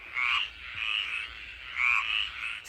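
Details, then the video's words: Evening frog chorus outdoors at the start of rain, heard at night: several overlapping high, rasping trilled calls rising and falling in bursts of about a second. "je sais pas si vous entendez les grenouilles qui chantent"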